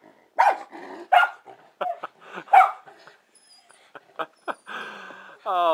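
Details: Indoors, Wilma the pet schnauzer goes wild at a calm bird perched outside the window, giving loud sharp barks about once a second that then fade into softer yips and whines, with a man talking over her.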